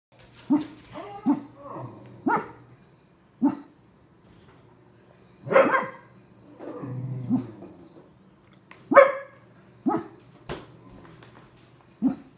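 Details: Pug and Cocker Spaniel mix dog barking lazily from its owner's lap instead of getting up; short sharp barks come in irregular bursts, with a man's voice calling out between them indoors.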